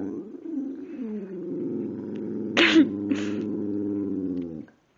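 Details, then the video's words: Pet dog named Precious, a female, vocalizing at home in a talkative mood: a long harmonic, wavering howl-like moan held for over four seconds, broken by two short breathy noises midway. "Precious sings and talks!"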